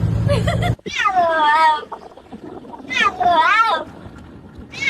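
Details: Cat giving two drawn-out, wavering meows that rise and then fall, each about a second long, with a short burst of human voice before the first and faint background noise between them.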